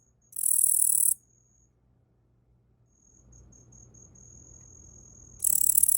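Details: Tettigonia orientalis katydid, raised in captivity from a young nymph caught in early spring, singing on a person's arm: a loud, sizzling high buzz under a second long, several seconds of quiet with faint low rustling, then another buzz.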